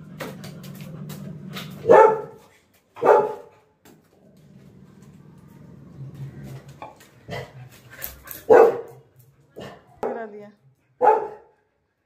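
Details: Lily, a pet Labrador Retriever, barks after her apple has dropped out of reach: short sharp barks at about 2, 3, 8.5, 10 and 11 seconds, with gaps of low rumbling and indoor quiet between them.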